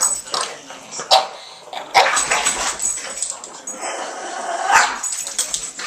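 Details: Boston Terriers in rough, noisy tug play, a female marking her third birthday among them; short rasping growls and snorting bursts come in irregular spurts with scuffling in between.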